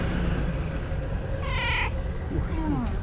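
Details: Cat greeting the person filming as she approaches: one clear, harmonic meow rising then falling, followed by a softer, short chirp-like call, over steady low background hum and music.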